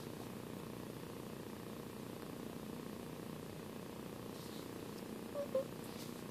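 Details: Soft, steady purring from one of two 8-week-old foster kittens, Sanibel and Sunny, seemingly drifting toward sleep indoors; a continuous low rumble runs throughout, with a couple of faint brief clicks near the end.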